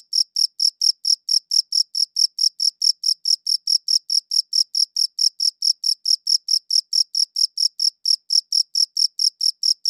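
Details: Steady cricket chirping, captured with a good audio recorder: rapid high-pitched pulsed chirps, around four per second, evenly spaced and unchanging in loudness throughout, with silence between chirps and no other sounds.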